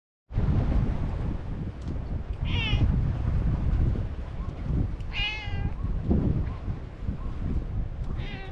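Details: A stray cat on a cat island meowing but not coming closer: three drawn-out, wavering nasal meows spaced a few seconds apart, over loud steady low rumbling noise, likely wind.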